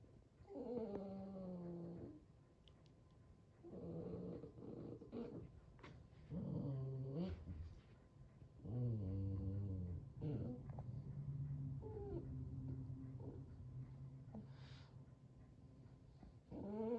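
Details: Sully, a Boston Terrier, playing tug indoors and displeased at an unenthusiastic partner, makes a string of harmonic, wavering growl-whines in bursts of about two seconds, some rising and falling, with quieter low grumbling between.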